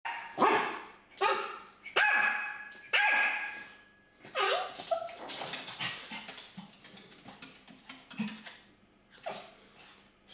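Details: Pet dog indoors barking at an escaped budgerigar hiding in a corner behind furniture; sharp barks in a quick irregular series, about five strong ones then softer, faster yelps, with a faint steady hum beneath.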